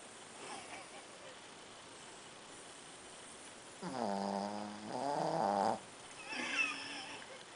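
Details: A Shih Tzu in deep sleep snores in drawn-out, rumbling breaths with a throaty, buzzing tone.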